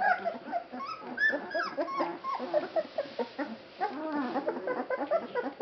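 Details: Feeding-time chorus of 21-day-old Basset Hound puppies at a kennel in Poland; many pups produce bent, whining squeals and short yips in rapid overlapping bursts, loudest near the start and middle.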